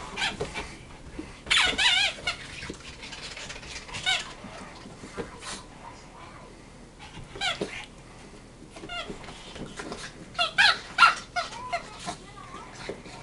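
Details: A female Boston Terrier on her 3rd birthday gives bursts of high, wavering whines and squeaky yips between quieter pauses while playing with a new toy, doing barrel rolls.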